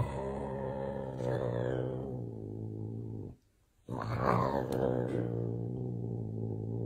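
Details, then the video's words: Angry big cat giving a continuous low, rumbling growl that breaks off briefly, then resumes with a harsher, rising, hissy outburst before settling back into the steady growl. Indoors. "Big Angry Hissing Cat"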